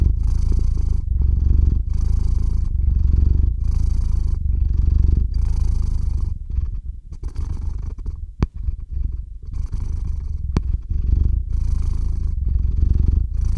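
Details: Cat named Theo purring as he falls asleep, close-miked with a RODE NTG-3 and ZOOM H6; rhythmic deep purr in breath cycles, softening briefly midway with two sharp clicks before resuming steadily.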